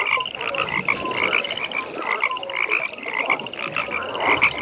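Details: Frogs calling together at a pond in a nighttime setting, a dense chorus of rapid pulsed croaks pitched fairly high, several callers overlapping in repeated bursts, with a steady trill running underneath throughout.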